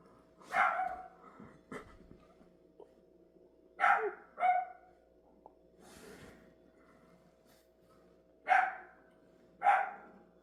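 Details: Dog barking in scattered single barks, each a short broadband burst, arriving in pairs about a second apart with quiet gaps between, a faint steady hum underneath.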